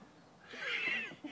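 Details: A Hungarian Vizsla, apparently stuck, gives a brief, high, nasal whine that rises and then falls away.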